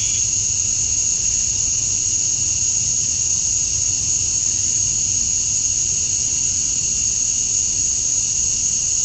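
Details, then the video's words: Cicadas outdoors at dusk on a Georgia summer night, males chirping to draw females: one continuous shrill tone with an added lower band, an even wall of insect sound without pauses. "Cicadas at Dusk, Summer Night"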